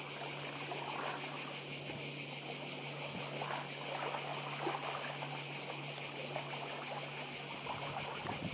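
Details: Continuous cicada chorus on Croatia's Badija Island by the sea, a shrill, rapidly pulsed buzz holding evenly from start to finish, with gentle trickling and splashing water and a low steady hum beneath.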